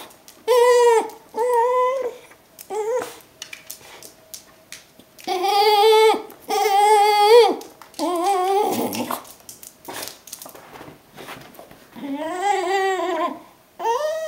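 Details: Pet Brittany Spaniel, Lucy, welcoming her owner home at the door: a string of high, moaning whines, some rising and wavering, in bursts of about a second or two, grouped in pairs with quiet gaps and small clicks between.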